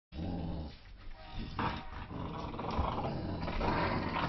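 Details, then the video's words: Dogs, a Staffordshire Terrier, a German shepherd and a poodle mix, playing tug of war; low rumbling growls run almost continuously, rising and falling in strength, with scuffling and rough noise throughout. "Dog tug of war"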